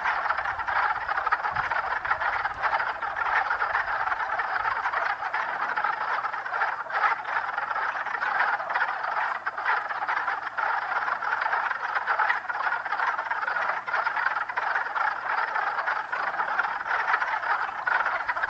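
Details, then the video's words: Dozens of spring peepers, around 50 to 60, out early in unseasonable warmth, producing an unbroken, thick mass of high overlapping peeping notes, steady in loudness from start to finish. "Early warmth brings the peepers/croakers out early"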